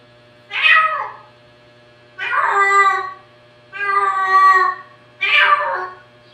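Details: Domestic cats indoors, described as talking: four drawn-out harmonic meows, some rising then falling, spaced about every one and a half seconds, with a steady low hum in the background.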